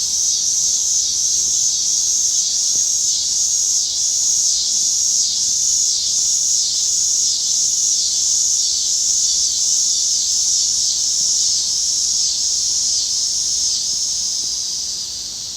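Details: Loud cicada chorus from Illinois: a dense, shrill buzzing drone pulsing in rapid regular throbs, roughly three or four swells per second, softening slightly toward the end.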